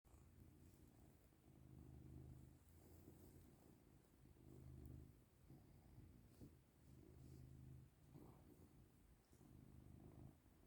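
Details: Caesar, a pet cat, purring while getting rubs and affection; a low, steady rumbling purr in long pulses, each lasting around a second with short breaks between, fairly constant throughout.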